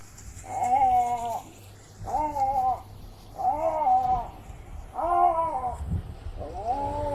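A lynx calls in moaning, meow-like yowls, each rising then sagging, about a second long and repeated every second and a half. A faint hiss sits behind the calls.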